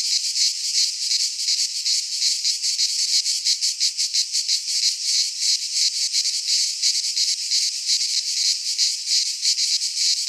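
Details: Midsummer chorus of cicadas in a pine forest in Greece, a continuous high rasping drone that pulses quickly and evenly, roughly three beats a second, filling the whole recording without pause.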